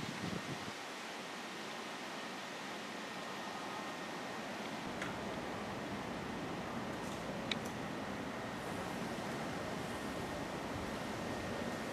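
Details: Steady fan-like broadband hiss with a couple of faint clicks and a thin tone; no animal call is heard.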